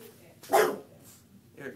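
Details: Lucy, a female Bulldog, reacts with displeasure to an impostor of herself in a picture, letting out one short, sharp, explosive bark followed by a softer brief vocal sound; a person talks to her nearby.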